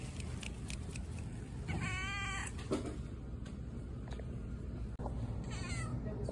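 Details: Patti, a cat at a pet store, gives one wavering, harmonic-rich meow lasting under a second, with steady low hum and shop background noise throughout.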